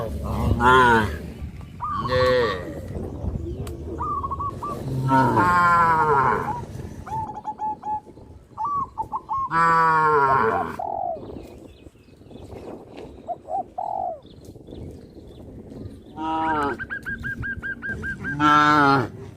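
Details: Cows on a traditional village farm jumping onto a road, giving several long, deep, harmonic moos spaced a few seconds apart, with short, repeated, higher tonal notes from another source between them.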